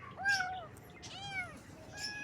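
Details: Kittens meowing in the morning, three thin, plaintive mews, each gently arched and sliding down at the end, spaced under a second apart, with a low murmur of background noise.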